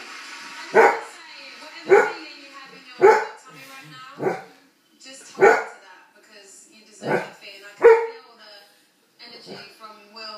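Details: Red setter barking at a balloon indoors: sharp single barks roughly every one to one and a half seconds, seven strong barks with quieter sounds between, human voices faint in the background.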